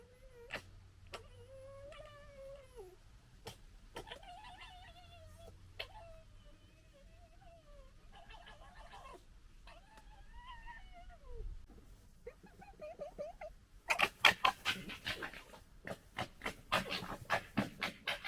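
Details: Foxes gekkering and fighting while a pecking order is established, recorded in 2021: drawn-out wavering wailing cries with bending pitch, followed by a loud burst of rapid harsh chattering in the final seconds.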